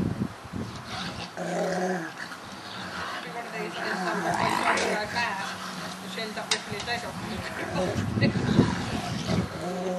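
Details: Two dogs, Jet the Rottweiler and Stamford the Staffie, at play in the garden: sustained rumbling growls with throaty tonal snarls, intensifying midway, with scuffling and a human voice faintly mixed in.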